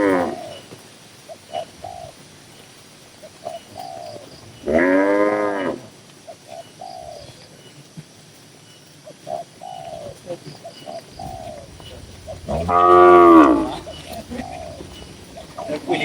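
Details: Tame cattle in a busy barn on a livestock farm holding dozens of cows. Two strong harmonic moos about eight seconds apart, with soft, repeated coo-like notes filling the gaps.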